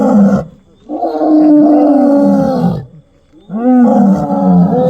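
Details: Lion seen on a road at night; two long, deep, drawn-out roaring groans, each holding steady and then falling away at the end, separated by a short quiet gap.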